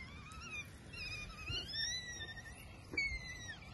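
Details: An African wild dog seen on safari in Sabi Sands, South Africa, gives a high, wavering, whine-like call with a bright harmonic ring.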